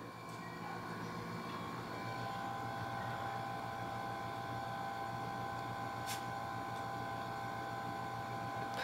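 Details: A steady engine-like hum with tonal whine runs throughout, with faint voices underneath and no animal sounds.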